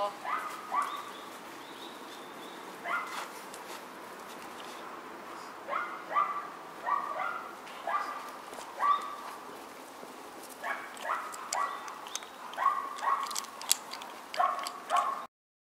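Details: A litter of four white Miniature Schnauzer sisters born on September 10 yaps steadily: brief squeaky yelps and whimpers repeat roughly every second, sometimes in quick pairs, with a faint background hiss.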